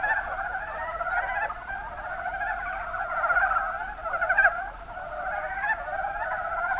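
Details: Mountain brown frogs in the Kuma Basin, Kumamoto, Japan, calling in a dense chorus: rapid, overlapping clucking notes with a two-tone, slightly nasal quality, pulsing about once per second and swelling and fading throughout.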